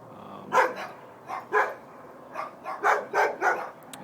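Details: Dogs next door barking on a Tuesday night, a nuisance to neighbours: bursts of sharp barks, single and in quick pairs and triplets, while a man talks over them.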